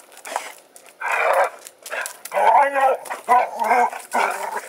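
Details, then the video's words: Jake and Lacy, two pet dogs play fighting in their yard, the heavier male Jake the louder of the pair. Loud harsh growls and gruff barks arrive in short bursts about a second apart, with scuffling between them. "play fighting dogs"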